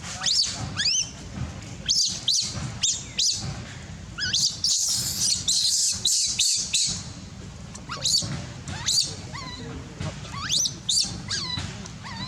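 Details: Baby monkey crying for milk with its mother gone: a rapid, insistent series of high, thin squeals and upswept wails, repeated in clusters with brief pauses, over a low rumbling background.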